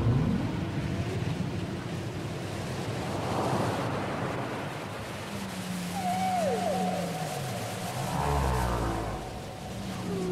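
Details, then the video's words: Whale song taken from a cassette: a low sustained moan drifting slowly downward and a brief curling mid-pitched whistle, set against a loud wash of surf-like hiss and rumble. "Les chants secrets des baleines"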